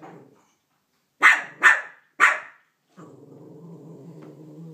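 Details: Banjo, a Cavalier King Charles Spaniel, barks at a Minnie Mouse figure that has taken his bone: three sharp, loud barks in quick succession, then a steady low humming drone. A person's voice teases him just before.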